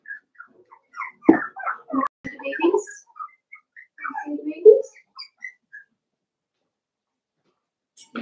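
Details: Cavalier King Charles Spaniel puppies playing together in an indoor puppy pen in their breeders' home: a rapid run of high, squeaky whimpers and short yips, some sliding downward, packed into the first five seconds before falling almost silent.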